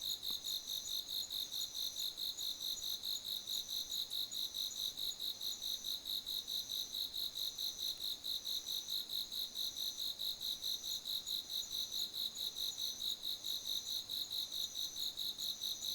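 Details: Insects singing on an autumn night in a garden in September: a continuous shrill chirping, pulsing evenly about twice a second, unbroken for the whole sixteen seconds with no other sounds.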